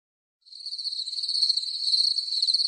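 A cricket trills steadily, a high, even, buzzy tone held without a break.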